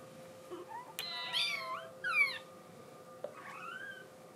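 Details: Scottish Fold kitten desperate to get outside, giving thin, high, wavering mews that rise and fall, three short calls spaced over a few seconds, with a faint click and soft background hiss.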